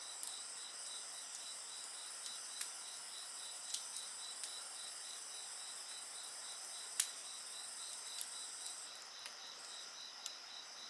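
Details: A continuous, high-pitched trilling of many insects carries on without a break. Sharp snaps and crackles from a burning bonfire are scattered through it.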